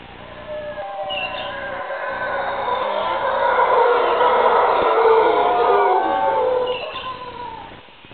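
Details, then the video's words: Howler monkeys hidden in the canopy along the Chagres River, Panama, roar together in a deep, guttural chorus that swells to a peak and fades. "Call of Howler Monkeys"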